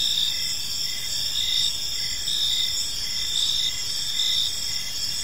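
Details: Crickets chirping in a peaceful park as evening unfolds: steady high, shimmering trills layered together, with a fainter pulsed chirp repeating about once a second beneath them, over a soft low background rumble.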